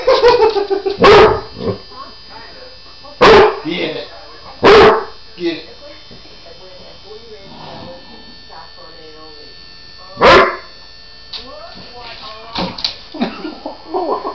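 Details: Basset Hound resisting a nail grinder during nail trimming, disliking it; several loud harsh yelps and barks at about 1, 3, 5 and 10 seconds, with people talking quietly between them.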